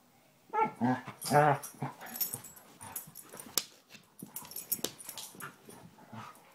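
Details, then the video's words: Basset Hounds Tracker and puppy Ranger rough housing together; a couple of loud harmonic growly barks early, then scuffling, thumps and softer vocal noises. "Basset Hounds playing"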